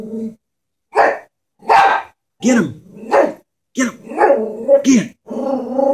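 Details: Chihuahua scared of a stuffed toy horse: a growl, then sharp barks at roughly half-second intervals, ending in a rising, rumbling growl and whine, with a person's voice briefly heard.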